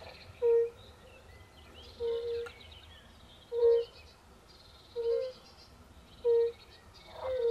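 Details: European fire-bellied toad at a forest pond where pool frogs also live: five clear, soft, low hooting notes spaced about one and a half seconds apart, some slightly doubled, over quiet background birdsong.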